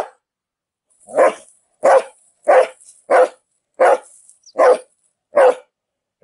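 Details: Dog barking: seven short, sharp barks spaced roughly every 0.6 to 0.8 seconds, each bright and mid-pitched with a quick fade, in an otherwise quiet setting.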